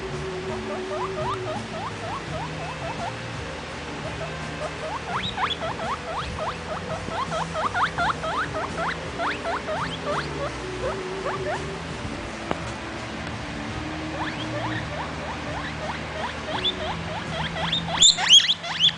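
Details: Baby guinea pig Vitalis making noise: long series of faint, quick rising squeaks over a steady low hum, swelling into a few louder squeals at the very end.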